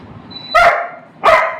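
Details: Pet Labrador Retriever squabbling over food, giving two sharp, harsh barks roughly 0.7 seconds apart, with a faint high tone just before the first.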